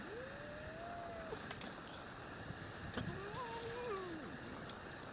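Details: A Scottish Fold kitten and a Singapura cat fight, giving long, wavering yowls that rise and fall over a steady background hiss.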